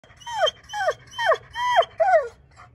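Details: German Shepherd dog waiting impatiently outdoors on a clear, cloudless day while a fire pit and Dutch oven are prepared for guests; five high, sharply descending whining squeaks, roughly every half second, the last one faint and brief.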